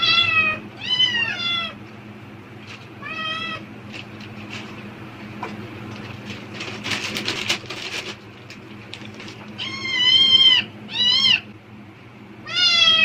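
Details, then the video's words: House cat responding intensely to plastic bag rustling, apparently expecting food: a run of insistent meows, then several seconds of loud crackling bag noise, then more sharp, rising-falling meows in quick succession. "비닐봉지 소리에 폭발적 반응하는 고양이 울음소리(Cat sounds in response to the sound of plastic bags)"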